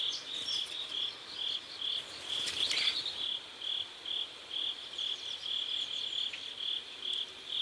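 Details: Sunset chorus of crickets beside a South Korean river: bright high chirps pulsing steadily, a little over two per second, with a short rustling noise around the third second.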